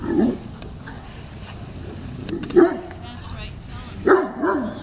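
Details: Pugs Ares and Luna running laps around the chairs: short, sharp barks near the start, at about two and a half seconds, then a quick double bark at four seconds, with people talking in the background.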